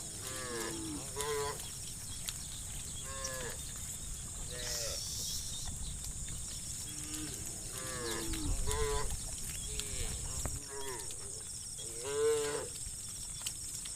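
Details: Dozens of tame cows moo in turn as they roam muddy rice fields toward fresh grass under soft sunlight and scattered clouds: long, drawn-out lowing calls overlapping across the herd.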